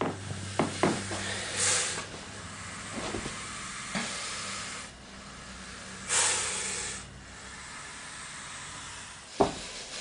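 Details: Sumatran spitting cobra (Naja sumatrana) giving two long, breathy hisses several seconds apart, with soft knocks and shuffling noises in between.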